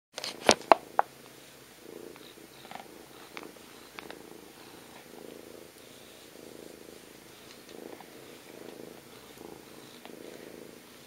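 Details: Domestic cat purring while being cuddled indoors; a few sharp clicks and rustles open, then a soft, low, steadily pulsing purr continues in rhythmic waves.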